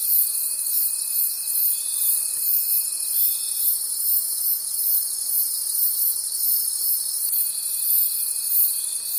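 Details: Crickets chirring in a night forest, high dense trills pulsing quickly and evenly, with a faint steady whine heard at the start and again near the end.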